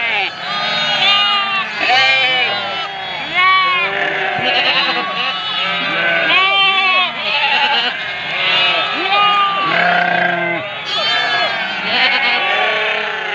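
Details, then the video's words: Many ewes calling to their lambs, a steady wall of overlapping bleats, some high and tremulous, others lower and short, sounding constantly across the whole stretch. "గొర్రెలు వాటి పిల్లల కోసం ఎలా అరుస్తున్నాయో"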